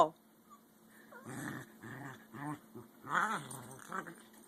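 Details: Indoors, a 5-month-old American Eskimo Dog puppy and an adult Eskie argue over the adult's bone: a string of low, throaty growled grumbles in uneven bursts, some rising and falling like speech, with a brief high whine near the start.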